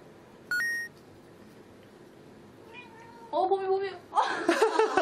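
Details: Cats indoors reacting to an invisible wall challenge, with several drawn-out meows in the last two seconds, overlapping and wavering, after a short sharp tone near the start and a quiet stretch of room noise.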